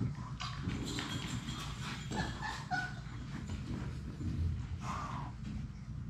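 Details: Six Labrador Retriever puppies at play together in their puppy play room. A few short, high whimpers and yips rise above steady scratching, scuffling paws and a low background hum.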